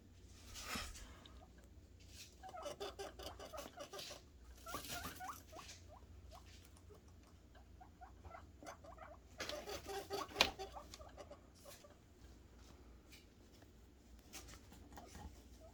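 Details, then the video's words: Guinea pig boars making happy noises in anticipation of food: quiet repeated chirps and wheeks, with rustling and pattering throughout, a few louder bursts of movement. "guineapig boars making happy noises for food"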